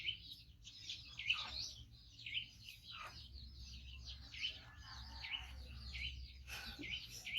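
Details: Waiting for its carer to bring food, a five-month-old male baby monkey rescued from a hunter gives repeated shrill chirps, each a quick downward-bending squeak, over a low room hum.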